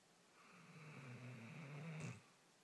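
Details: Sleeping puppy snoring indoors: one long, low, rattling breath lasting about a second and a half, swelling slightly, then ending in a brief soft hiss before quiet.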